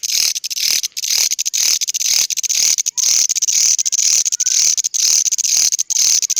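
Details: Grasshopper's odd call: an intense, high, shimmering buzz chopped into quick, uneven bursts separated by brief gaps, carrying on without pause against a quiet background.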